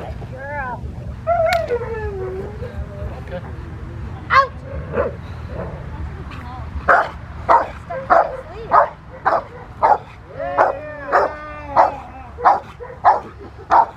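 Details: Protection training of the Rottweiler Fire v LordsNLadies at the Victoria Rottweiler Club, May 2021: a man talks over a few whines, then sharp, forceful barks fall into a regular rhythm, roughly one every 0.6 seconds, punctuated by a yelping whimper.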